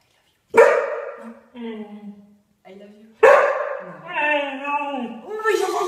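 A Siberian Husky makes a drawn-out, wavering yowl that rises and falls like the words "I love you."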